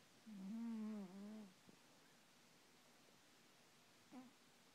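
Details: Cat asleep at night giving one long, wavering, droning snore of just over a second, followed by a brief faint snort near the end.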